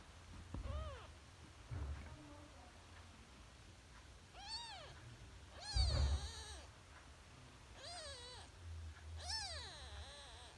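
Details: Three-day-old kitten giving thin, high arched mews, about five of them spaced irregularly over ten seconds, each rising then falling, the later ones brighter and more strained, over a low steady rumble.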